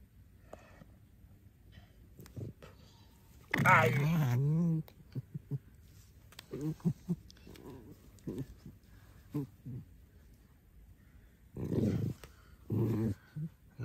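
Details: Alice, a domestic pet fox, in a compilation of funny moments from her life: a loud, wavering, harmonic whine of about one second mid-clip, with soft speech and scattered clicks and knocks before and after.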